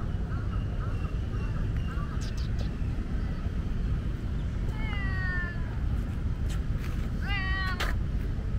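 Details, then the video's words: In Lumpini Park, the park's most talkative tomcat gives two loud meows. The first is a long, slightly falling cry, and the second is a shorter, bent one. Faint earlier calls and a constant low city rumble are also heard. "loud meow tomcat"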